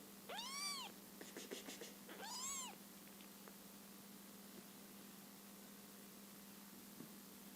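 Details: Scottish Fold kittens one month old, a litter of five: two high arched mews about two seconds apart with soft clicks between, then steady quiet hum.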